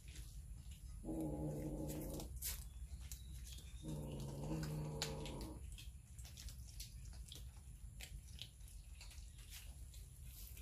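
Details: Cats and kittens hungrily eating raw fish, captured on a Samsung Galaxy S9 Plus: two sustained, rumbling growls, the second longer at nearly two seconds, separated by a pause, with smacking and crunching of food throughout.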